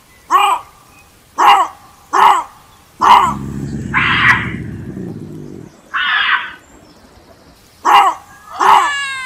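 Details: Bobcat giving sharp, harsh barking screams in a loose series, broken midway by a rough, low growling rasp and a hoarse, hissing cry, then more abrupt screams.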